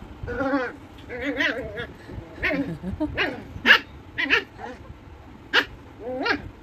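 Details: Angry puppy barking in short, sharp, high yapping bursts, about eight irregular barks over several seconds, some with a whining, tonal edge, against a faint background hum.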